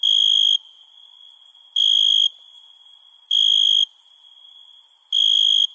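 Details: Crickets heard at night: four loud, even trill bursts at intervals of about one and a half seconds, layered over a persistent high buzzing insect background.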